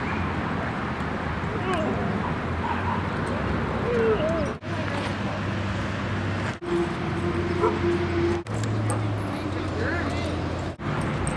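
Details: Dogs Rosy and Rocky playing at Seal Point Dog Park on the western side of San Francisco Bay, February 10, 2015: short whiny yelps and a drawn-out whine over people talking and steady outdoor rumble, broken by several abrupt cuts.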